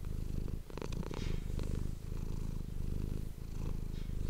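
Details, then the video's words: Low buzzing purr of a domestic cat captured on an ASMR microphone, pulsing steadily with its breathing, with soft rustling and a few clicks near the start. "ASMR cat purring"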